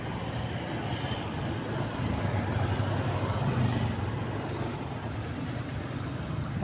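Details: Steady roadside traffic rumble fills the recording, with passing vehicles and faint voices in the background.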